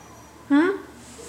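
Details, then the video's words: Siberian husky named Kai, a female restless to go out after a two-day move with no exercise; one short rising howl-like yelp, brief and tonal, with a woman speaking quietly around it indoors. "My Howling Husky Girl"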